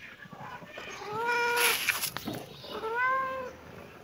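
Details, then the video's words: Kitten meowing in reaction to seeing a camera: two drawn-out, slightly arching meows with clear harmonics, the second about a second after the first, separated by a brief rustling noise. "kitten meowing😺❤️🌹|kitten reaction to see camera"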